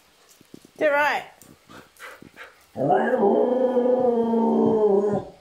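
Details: Lilac border collie talking to its owners: a short, sharply bending yelp-like note, then a long, steady, howl-like moan held for about two and a half seconds before trailing off.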